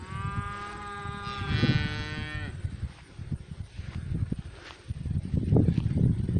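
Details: Cow in a pasture giving one long, steady moo with rich stacked harmonics that swells briefly then cuts off, followed by close snuffling and rustling noises.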